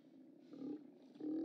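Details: Steller sea lions at the OrcaLab haulout on 29 October 2017, caught on a live cam: two short, low, hoarse roars, the second louder and steadier, over a rumbling background.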